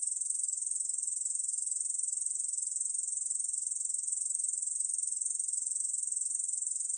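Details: Steady, unbroken high-pitched buzzing of a Korean bush cricket, a dense shimmering trill with fast even pulses, recorded by the National Institute of Biological Resources in 2020; no other sounds.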